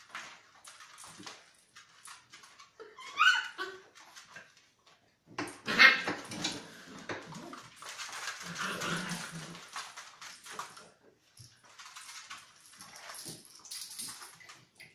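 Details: Seven-week-old Beagle puppies in a small room, letting out brief squeaky yips and whines, two sharper cries standing out among quieter whimpering and rustling movement.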